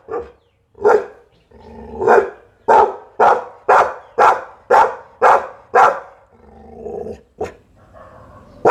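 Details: Barking Pit Bull: a few spaced opening woofs, then a rapid, even run of about eight sharp barks, ending in a low throaty growl and one last clipped bark.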